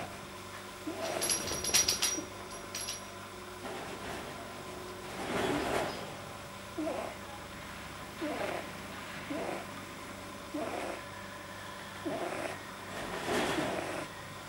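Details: Rabbit Pamuk, resting deeply relaxed, with a soft palate probably too long, recorded 9 January 2010: brief raspy nasal sounds recur at irregular intervals, opening with some clattering handling noise, over a constant low hum.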